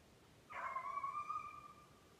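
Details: A beagle running snowshoe hare in Maine during July conditioning gives a single long, level, ringing bawl lasting over a second, distant and clear against a still background.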